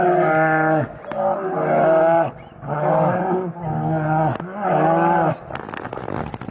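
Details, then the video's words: In Finland two big brown bears clash, giving four loud roaring bellows about a second long each, steady then sliding down in pitch. Fainter scuffling knocks follow at the end. "Two big brown bear fights in Finland"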